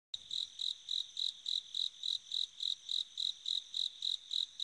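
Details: Bell cricket singing on an autumn night: a high, clear ringing chirp pulsed steadily about three times per second, each pulse a short bright trill, with a quiet background and no other sounds.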